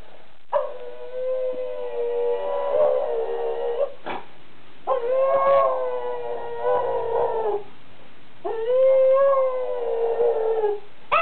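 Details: Jake, a pet dog, singing his favourite song: three long, sustained, wavering howls, each lasting two to three seconds and separated by short pauses, with a mid-pitched tone and rich harmonics.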